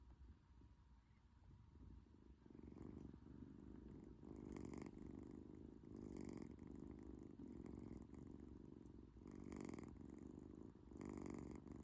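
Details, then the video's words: Sleeping British Shorthair cat purring and snoring together, a steady low rumble that swells with each breath roughly every one to two seconds, recorded close indoors. "코골이 + 골골송?"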